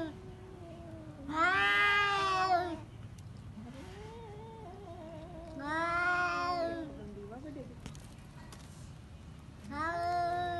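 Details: Two or more pet cats fighting, trading loud drawn-out caterwauls every few seconds, each yowl about a second and a half long, linked by quieter wavering growl-moans.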